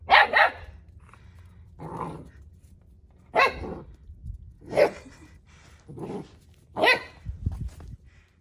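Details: Neptune and Nyx, young Central Asian Shepherd puppies, confident outside in a new area on a cold day: about seven gruff barks at roughly one-second intervals, some doubled, over a steady low rumble.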